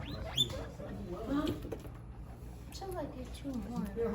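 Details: Pet guinea pigs indoors making squeaky calls: short harmonic chirps and whistles rising to high pitch, mixed with low chatter and background human voices.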